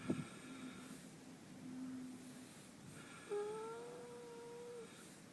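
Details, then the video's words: Snoring from Minxy the horse, asleep and twitching her lips: a soft, low, steady hum of breath, then a thin whistling tone that rises slightly and holds for about a second and a half in a quiet setting. "Snoring horse"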